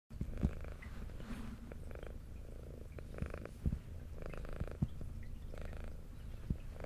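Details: Female brown tabby house cat with white underside, an adopted pet, purring while eating indoors: steady low rumbling purr throughout, with soft swelling breath-like surges roughly every second and scattered sharp clicks of chewing and licking.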